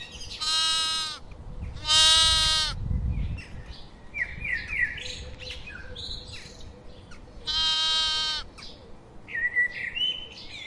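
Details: Sheep bleating outdoors: three loud, harmonic, wavering bleats near the start and middle, each about a second long, with birds chirping and twittering in the background between them.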